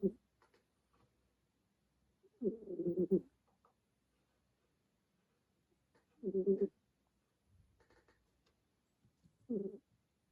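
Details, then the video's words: Remi the kitten, asleep during a hard-earned nap, snores in a small quiet room: grainy, low, rattling breaths under a second long, arriving about every three to four seconds, separated by near silence and soft small clicks. "Cute Kitten SNORES"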